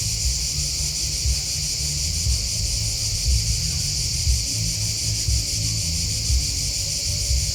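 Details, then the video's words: Constant high, pulsing cricket trills fill the background as a soft low thump repeats about once a second underneath. "Crickets Chirping Sound"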